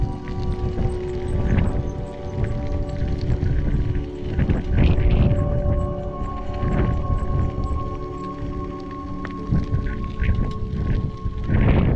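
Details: Music with steady held tones plays over heavy low rumbling and some faint voices, with no animal call standing out.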